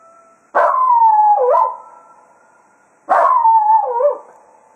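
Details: Ending a foxhunting day at Quail Roost, Cato, a Jack Russell Terrier, howls farewell to the hounds twice, each howl bursting out, then gliding lower with a wavering dip, over faint steady background tones.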